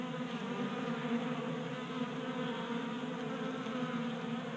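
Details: Several honey bees feast at a tabletop 3D printed feeder on a workbench in a Colorado garage in January, active in unseasonable warmth and burning winter fat stores. Their wings make an even, continuous drone with faint brighter flickers.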